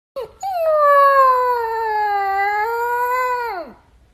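A Siberian Husky puppy gives a sustained, slightly wavering howl that slides downward at the end.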